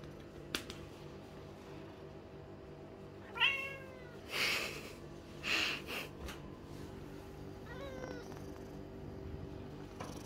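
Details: Blue-eyed Lynx point Siamese cat Mico, indoors, meows when his owner stops tapping his rump. Two short, downward-bending meows sound several seconds apart, with soft rustling and breathy noises between them in a quiet room.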